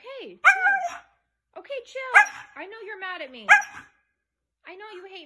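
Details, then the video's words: Siberian Husky giving short, wavering tonal howls that swoop up and down, uttered in three or four separate bursts with quiet gaps between them and a softer, lower moan at the end. "Howling Huski dogs"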